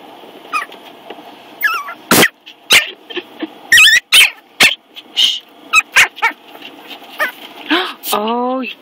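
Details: Ten-week-old Yorkshire Terrier puppy barking: a run of sharp, high yips and squeaky barks, irregularly spaced over several seconds, ending in a rising whine, with a woman talking to the puppy.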